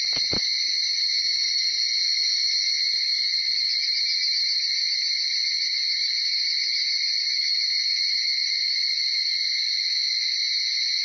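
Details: Early-morning chorus of higurashi cicadas (Tanna japonensis), recorded just after 4:30 to past 5 a.m. in Uda, Nara, Japan: a dense, unbroken shrill ringing in two steady high bands, with a brief low thump at the start.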